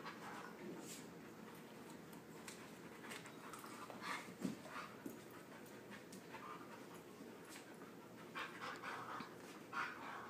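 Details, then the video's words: Husky pup of Husky, Chihuahua and Lab mix wrestling at play, quick irregular panting breaths with brief whimpery bursts, a laugh and a few words from people nearby. "Husky pup loves to wrestle"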